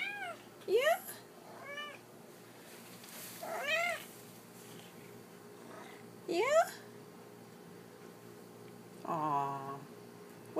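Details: Domestic cat indoors meowing as if wanting something, between a person's soft replies and questions about hunger: five or six short arched meows spread over ten seconds, some rising at the end, one lower and flatter near the close.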